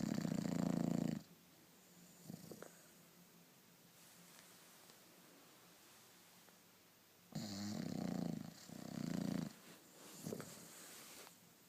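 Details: Sofia, a pet bulldog, sleeping indoors: low rattling snores, one loud burst at the start and two more late, separated by quiet breathing.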